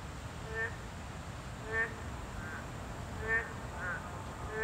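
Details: Boreal digging frog at a habitat of this class 2 protected species: short nasal harmonic calls, five spaced about a second apart over steady background hiss.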